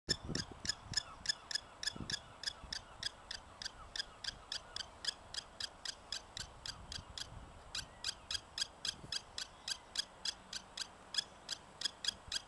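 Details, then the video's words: Prairie dog objecting to a nearby person: a long run of high, sharp chirps repeated about three to four times a second at a steady pace, with a few low thumps early on. "Prairie Dog taking exception to me"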